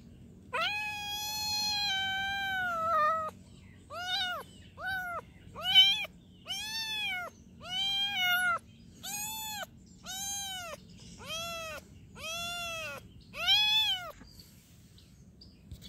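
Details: Young cat opening with one long, level, drawn-out meow, then a rapid string of about ten short, arched, high-pitched meows at roughly one per second, with a quiet low hum behind.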